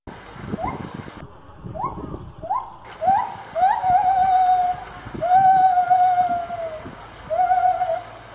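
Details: Captive gibbon at Lisbon Zoo, Portugal, 2019, calling in a series of short rising whoops that come faster and stretch into long, sustained, slightly wavering hoots, each clear and tonal over low background murmur.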